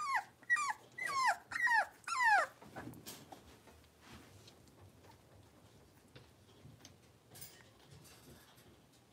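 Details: Five blenheim Cavalier King Charles Spaniel puppies, two females and three males born around New Year's, give a quick run of high, yelping barks that slide downward.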